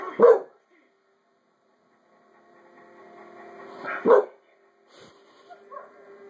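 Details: American Bulldog, male, barking at a dog barking on television, a reaction that went on for five minutes; two loud, sharp single barks about four seconds apart over a faint steady background hum.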